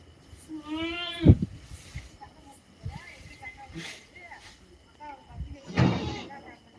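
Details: Native country goat giving one wavering, nasal bleat near the start, its tone quavering over about half a second. People chatting in Tamil follow, with a few softer sounds in the background.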